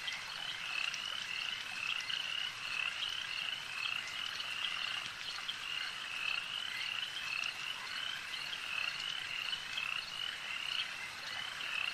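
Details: Frogs calling at a lake, a dense overlapping chorus of short, high, rasping pulses repeated steadily without pause, forming a continuous shimmering wall of sound.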